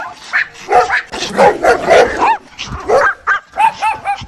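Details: A mother dog calling her puppies gives a cluster of whimpering, slightly rough yelps, then a run of clear, evenly spaced high yips near the end.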